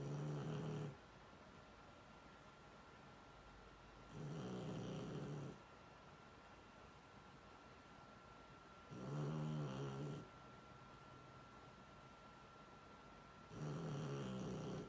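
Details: Snoring Shar Pei during sleep: four coarse, deep, rattling snores spaced roughly every four to five seconds, each about a second long, separated by near silence with a faint steady electrical hum.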